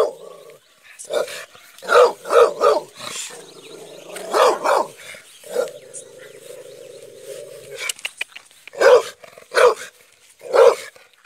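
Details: American Staffordshire Terrier giving sharp barks in clusters, a low sustained growl between them, then three spaced barks near the end.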